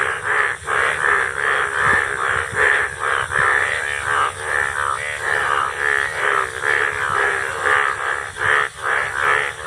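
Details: Monsoon chorus of Indian bullfrogs: hoarse, nasal croaks repeated a little over once a second, overlapping throughout with steady loudness and occasional low knocks.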